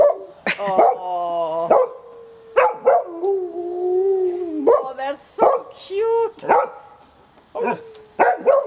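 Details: Female Gordon Setter sings along with her owner as part of a morning routine. Long, sustained, wavering howls hold steady, then slide and bend in pitch, broken by short gaps. A person's voice joins in and talks between the howls.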